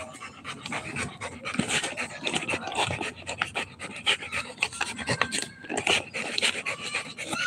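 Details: A Rottweiler puppy at play time pants hard: quick, breathy rasping huffs, roughly two per second and unevenly spaced, with rubbing and scuffling noises and bursts of human laughter around it.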